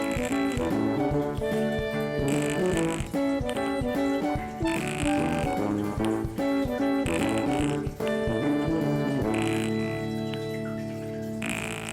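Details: Upbeat brass-band music plays throughout, with trombone and trumpet lines over a steady beat and no animal sound standing out.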